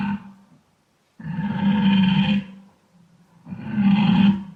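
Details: Wild boar heard in a dense forest setting: deep, rough grunting bursts lasting about a second each, with a low throaty core and raspy upper overtones, separated by short quiet gaps.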